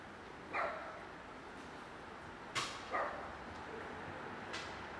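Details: A cat with a broken leg, still affectionate, gives short meows that slide downward in pitch: one near the start, then two close together around the three-second mark, against a steady background hiss.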